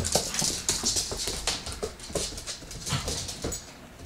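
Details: Bloodhound puppy Aggie wrestling with Mazy the pug while another pug, Oby, objects; rapid bursts of snorting, huffing and scuffling, with sharp hissy breaths clustered in the first half and softer rustling afterward.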